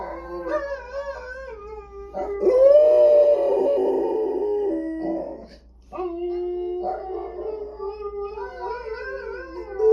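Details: A howling dog gives mournful, warbling notes. A loud, rough burst swells midway, then comes a brief pause before steadier long tones and rising wails over a faint low drone.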